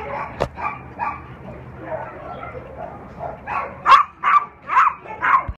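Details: Black-and-tan unaltered male Cairn Terrier and Lhasa Apso mix, three years old, in an animal shelter, giving four loud, sharp barks about half a second apart near the end after quieter, muffled sounds and background noise.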